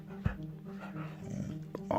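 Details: A Border Collie, staring at its sleeping owner, gives a strange low, steady, droning whine with a humming tone and little change in pitch.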